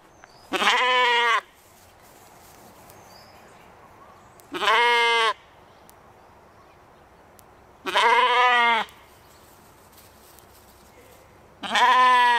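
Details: Katahdin sheep playing one evening on a Michigan homestead, bleating four times in about twelve seconds; each bleat a strong harmonic, slightly wavering cry lasting under a second, with quiet background between.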